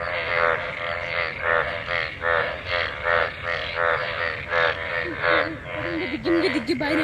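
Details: Frogs mating in rain-gathered water after monsoon rain; dense buzzy croaking chorus, rhythmic pulses, with a wavering higher tone intruding in the last two seconds.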